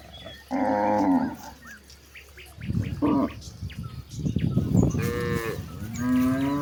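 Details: Cows wandering toward a wide grassy pasture give a series of moos: a strong opening bellow, a brief grunt-like call, and two rising moos near the end. Rustling and shuffling noises fill the gaps.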